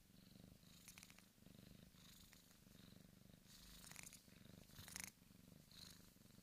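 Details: Bengal kitten Dan, a big male born 14 August 2015 at the Sunspot Charm cattery, purring steadily: a low, continuous pulsed rumble with brief louder rustling bursts from close handling.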